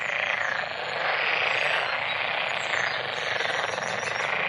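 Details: Many frogs calling together in a dense, unbroken chorus of overlapping rattling croaks, a steady loud wash with fine rapid pulses and no pause. Faint swells in loudness, no other clear sounds.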